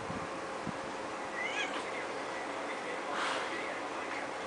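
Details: Domestic cat during play, giving a short wavering meow near the middle, followed later by a brief breathy burst, over a constant background hiss.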